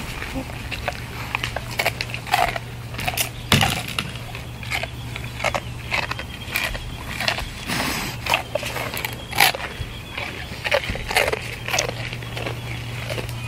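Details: A farm deer chews noisily on dry, uncooked noodles, with sharp, irregular crunches from the brittle treat.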